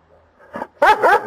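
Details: Calvin the dog during a morning back-and-forth with his owner: a quiet low grumble, then two loud, rough, closely spaced barks.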